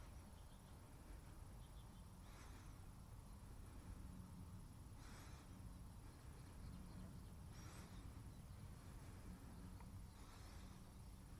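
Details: Cute pet cat sneezing: four short, sharp, breathy bursts spaced roughly every two and a half seconds, each a quick hiss-like puff, over a steady low hum with a faint high whine.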